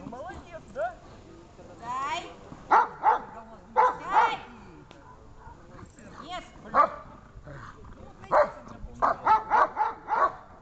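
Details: Dog barking while being rewarded during search training: short, sharp, yappy barks in irregular bursts, some in quick clusters, with human voices and a whining undertone in between.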